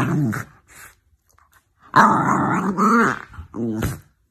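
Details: Jack Russell Terrier giving a grumbling, growly vocalization in short bursts: a brief rumble, a pause, then a longer rising-and-falling growl near the end, indoors in a quiet space.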